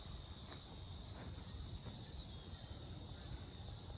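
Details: Buzzing insects, perhaps cicadas, in Mankato, Minnesota, 18 July 2025: a dense high-pitched drone swelling in regular pulses about every half second over low background rumble.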